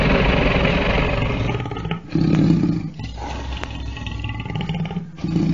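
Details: Lion roaring with deep, resonant grunting pulses, each swelling with strong low tones and separated by short dips, heard repeatedly across the few seconds.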